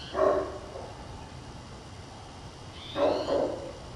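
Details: Purebred Great Pyrenees barking loudly from a hilltop ridge above a town, calling out across it, heard from far off: two distant booming barks about three seconds apart, some faint higher calls and steady background hiss.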